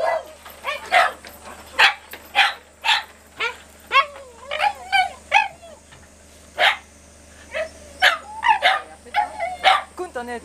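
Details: Domestic dog from a household diary of irregular days beginning 25 August, giving a rapid run of loud yelping barks and wavering, whining tones that rise and dip, about fifteen bursts in ten seconds with short gaps between.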